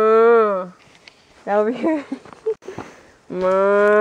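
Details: Cattle being herded: a long, steady, nasal moo that drops in pitch at the end, then a stretch of a man's speech and shuffling, then another long moo closes the clip.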